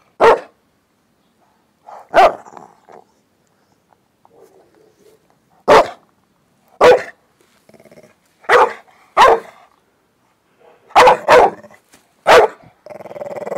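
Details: An old male Staffordshire Bull Terrier in the UK, holding his stone, gives short, punchy play barks, singly and in quick pairs, with soft grumbles between, inviting someone to chase him.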